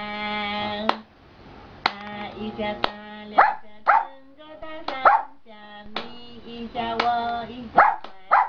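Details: Giant panda vocalizing in the afternoon in a good mood: drawn-out nasal moaning notes broken by repeated short, squeaky upward yelps, loud and irregular over about eight seconds.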